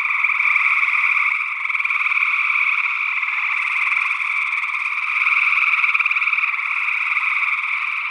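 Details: Gray tree frogs calling in Northwest Wisconsin in early June 2022, recorded with a matched pair of small-diaphragm condensers in ORTF. A dense, unbroken chorus of overlapping buzzy trills with steady loudness, and a second, unidentified frog species also calling.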